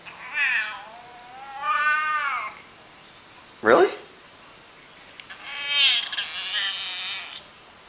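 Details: Domestic cat making weird noises while its owner talks to it indoors: drawn-out, wavering meows with rich harmonics, rising then falling, three main calls spread over eight seconds, with a short human word between them.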